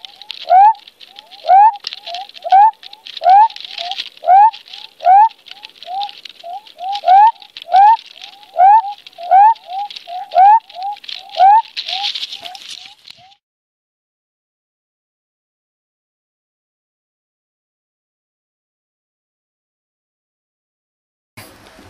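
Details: Male western spotted frogs call from within their burrows under mud to attract females, giving brisk runs of short upswept notes, several voices overlapping, for about thirteen seconds before falling silent.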